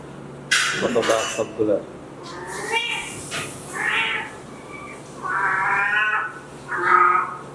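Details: Kitten looking for its mother gives several drawn meows, rising and falling, spaced a second or two apart, mixed with a person talking softly in Bengali near the start.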